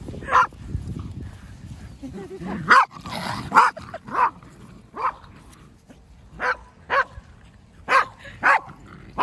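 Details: Pembroke Welsh Corgi pet at home on 7 January 2023, delighted by a playful counterattack, gives sharp, bright barks in irregular bursts, single and in pairs, with laughter and quiet voices in the room.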